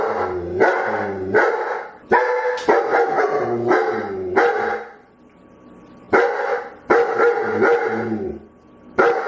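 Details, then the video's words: Begging dog letting out quick clusters of loud, harmonic barks mixed with whiny yelps, then a brief lull before another burst of barking. "SOUND OF DOG BAGGING BARKING DOG"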